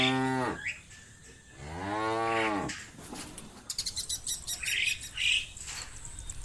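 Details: Two deep, harmonic cow (Bos taurus) moos, the second longer and rising slightly, followed by bird chirps, as a shepherd leads cows through muddy rice fields to a livestock pen.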